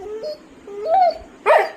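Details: Labrador Retriever called Pattu, upset at home while its leash is missing: two thin, rising, tonal whines followed by one short, harsh bark at the end, with people talking quietly nearby.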